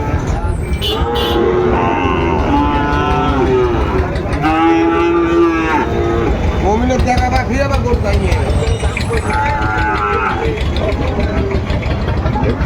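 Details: Sahiwal bull calves at the Ambari cattle market in Dinajpur, Bangladesh, on Monday 17 March 2025 as trading begins; drawn-out, harmonic moos rise above steady crowd chatter, haggling voices and passing vehicle noise.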